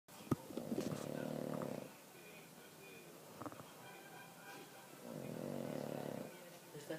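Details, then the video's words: Pug named Mariano snoring, two long harsh rasping breaths about four seconds apart, each lasting nearly two seconds, with quiet pauses between and a brief click at the start. "Carlino Mariano roncando"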